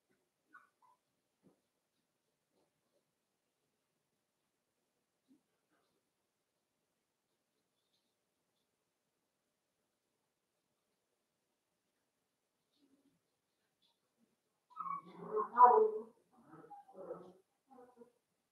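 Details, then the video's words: Cavalier King Charles Spaniel puppies playing in an indoor puppy pen at a breeder's home. A long quiet stretch gives way near the end to a short cluster of soft yips, whines and squeaks, then a few fainter whimpers. "Cavalier Puppies Live: Puppies Playing"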